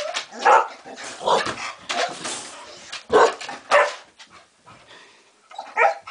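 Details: Dog refusing to go to bed grumbles and moans: a string of drawn-out, whining, talk-like yowls and short barky sounds at irregular intervals.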